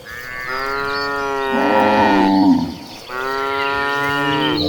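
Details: Cattle from a tame herd of tens of thousands of cows, mooing while being herded: two long, loud, drawn-out moos with a strong harmonic tone, separated by a short pause, with faint bird chirps behind.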